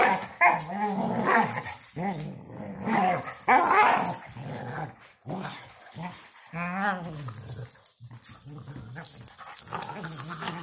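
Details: A female German Shorthaired Pointer wrestling and running around, making funny noises: throaty growl-whines in bursts through the first four seconds, a brief pause, then a wavering, rising-and-falling whine near seven seconds and softer grumbles to the end.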